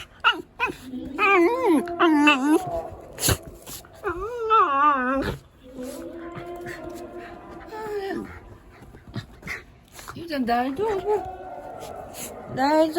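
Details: Shiba Inu Yuzu in a panic, complaining of fear while a second emergency warning for Typhoon No. 14 sounds across the area in Japan; repeated yodelling, wavering whines with sharp pitch swoops and a long steady moan, amid clicks and rustling.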